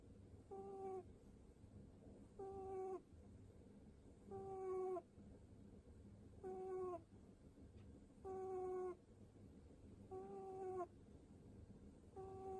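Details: Seven-year-old pet rabbit making pu-pu sounds while its head is stroked, soft tonal nasal snore-like notes with a slight falling tail, each about half a second, repeated about every two seconds.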